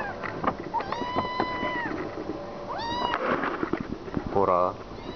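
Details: Kitten begging insistently for food: a drawn-out high meow, then a shorter rising one, then a brief lower, wavering cry near the end, over constant clattering and tapping noises.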